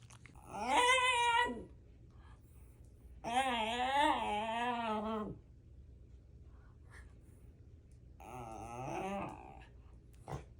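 A Shiba Inu gives three drawn-out, wavering yowls, each rising and bending in pitch like a strained yodel.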